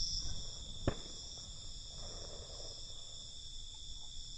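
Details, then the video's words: Crickets chirping at night, a continuous high thin trill over noticeable low rumble, interrupted by one sharp tap or click early on. "Night Cricket Sound"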